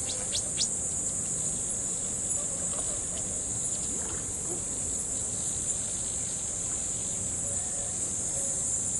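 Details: Crickets by a riverbank on an evening keep up a steady, high, shimmering trill, with a soft rush of flowing water beneath.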